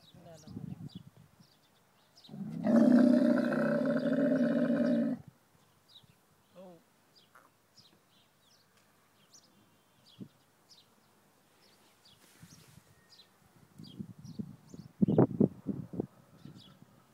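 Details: A female dromedary camel comes to her herder and gives a long, loud, groaning moan, crying over her calf that died the day before.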